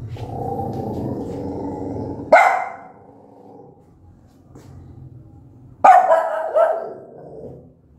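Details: Loud angry barking from a mother dog aimed at her newborn puppies: a low murmuring hum at first, then two sharp barks a few seconds apart, the second one doubled.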